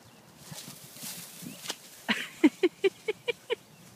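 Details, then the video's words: Rhodesian Ridgebacks playing keep-away: after soft scuffling, a quick series of six short, evenly spaced barks or yelps fills the last two seconds, each sharp and mid-pitched. "Rhodesian Ridgebacks Playing Keep Away"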